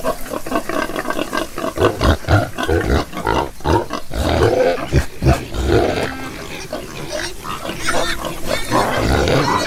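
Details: Several farm pigs grunt continuously, rough low pulses tumbling over one another with a few squealing and whining notes mixed in and no pause.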